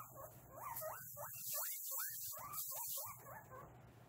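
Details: Pet guinea pigs around cage cleaning time, August 2022, give a quick run of upward-sliding squeaky whistles, closely overlapping chirps repeated several times a second, over a steady low hum and hiss.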